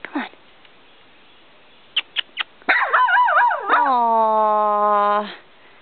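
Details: Skittish female puggle, nervous near the camera, gives a few faint soft yips, then a long wavering whining howl that settles into a steady drawn-out tone for about two and a half seconds before stopping. A person speaks softly afterward.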